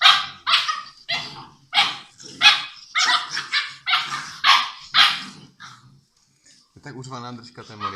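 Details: Six-week-old English Mastiff puppies playing together, giving a fast run of short, harsh yapping barks, roughly two a second and loudest in the first five seconds, then a pause and a thin, wavering whine at the end.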